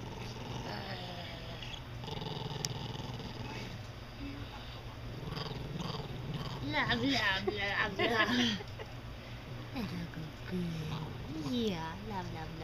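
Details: A grandmother's toy poodle showing love with a wavering, moaning growl that slides up and down in pitch like a yodel, swelling into louder warbling phrases midway, while people talk over it in a room.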